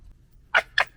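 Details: Two short, harsh, raspy screeches about a quarter second apart from a fox gekkering while fighting, recorded in 2021, loud against a quiet background.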